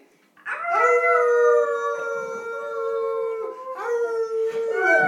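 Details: Pet dog being taught to howl sings a long steady howl, a held tone that wavers slightly, then a second rising howl starts near the end; close and loud, recorded on an iPhone 3GS.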